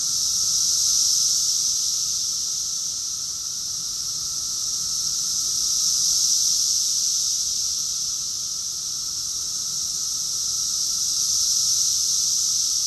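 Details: June 2021 cicada chorus in Rockville, Maryland, USA, a continuous high-pitched hissing buzz pulsing gently louder and softer about every five seconds, accompanied by a quieter lower hum.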